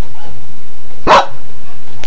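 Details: Indoor dog barking at a printer: a single loud, abrupt bark in the middle, surrounded by quiet room hum, just after someone asks for the dog to be taken out.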